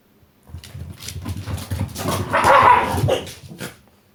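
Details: Two Shiba Inu, Koma and Shiromi, play-fighting indoors over a ball. It looks fierce but is only play. Rough, throaty growling runs for about three seconds, swelling to a louder snarling peak midway before fading.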